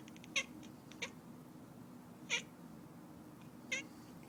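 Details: Domestic cat making a strange sound: four brief, sharp chirping bursts spaced irregularly over a few seconds, each clicky and high-pitched, over a low steady background hum.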